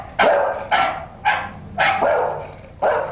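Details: Domestic dog barking in an experiment on whether dogs hear differences between barks, the test dog responding to it; five loud, evenly spaced barks over about three seconds, each sharp-onset and harsh.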